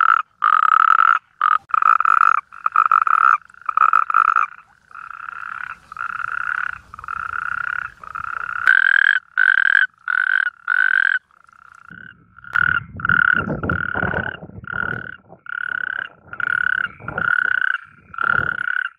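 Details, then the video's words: Natterjack toad mating call: repeated rasping trilled bursts, with a second caller overlapping at a slightly higher pitch, plus low rumbling handling or wind noise in the latter half. "El #Canto del Sapo Corredor"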